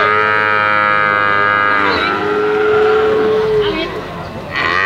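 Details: A calf gives a sustained, steady moo that shifts into a thinner, higher drawn-out tone, followed by a brief fresh call at the end.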